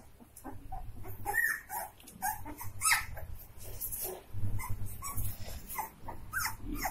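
Saint Bernard puppies give short, high yips and small barks in scattered overlapping bursts.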